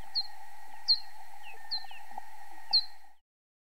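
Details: Bat ultrasonic calls made audible by slowing them down with a detector's time-expansion technique: brief, downward-sweeping chirps repeated a little under once a second over a steady hum.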